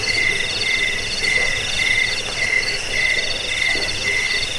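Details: Crickets, played to drive away rats, to lull listeners to sleep and to tutor songbirds: layered high chirping with pulsed bursts in two pitch bands, the lower band beating about twice a second, over a steady insect hiss.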